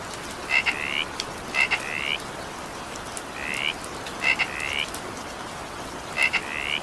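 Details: Evening rain with a frog croaking: bright, rising double chirps come in bursts about once a second, some preceded by crisp clicking notes, against continuous rain noise.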